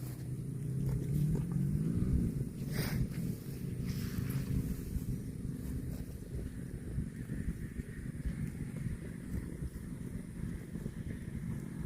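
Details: Cow mooing: one low, drawn-out moo of about two seconds with a slightly wavering pitch, heard over steady wind and rumbling background noise outdoors.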